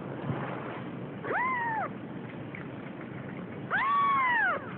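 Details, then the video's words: Scared Siamese kitten, almost three weeks old and starting to explore, gives two arched meows, the second longer and louder, against steady low background noise. "Siamese kitten thinks world is scary"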